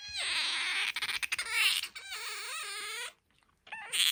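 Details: Pet otter Bingo, whose voice is described as soprano and higher than aquarium otters, gives loud wavering harmonic squeaks that rise and fall, with brief stuttering breaks, then a short pause before another shrill squeal.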